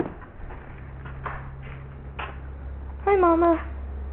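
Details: Kitten at a family home in Iowa, being returned to its mother; after soft rustling, one clear drawn-out meow near the end, slightly falling in pitch, over a steady low hum.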